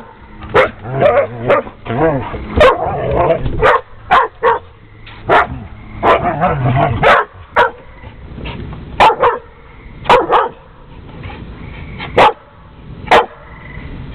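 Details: Jamie the dog barks at Houston, another dog, in a long run of sharp, loud barks, some paired, others spaced about a second apart, mixed with lower growly, voice-like sounds early on and near the middle.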